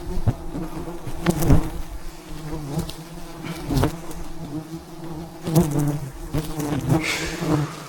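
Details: Thousands of wild bees around a giant hive high in the mountains keep up a thick, throbbing buzz during the harvest of fresh honey, punctuated by repeated sharp clicks and knocks.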